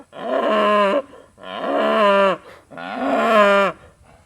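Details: Limousin and Angus cattle at feeding time mooing, three drawn-out lowing calls of about a second each, steady then dropping at the end, separated by short pauses.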